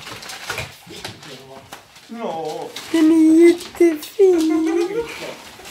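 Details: Gizmo, an Ibizan Hound indoors in a small room, proud of his trash, gives sustained nasal whines, a steady held tone, a short break, then a dipping, wavering whine, while people talk in Swedish around him.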